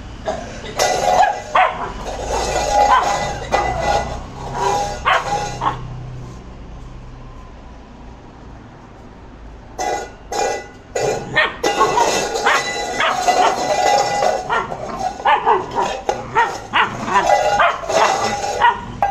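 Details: Labrador Retriever named Maara in angry play, giving rapid bursts of repeated barks, several per second, with a quiet pause midway; music plays loudly under much of the barking.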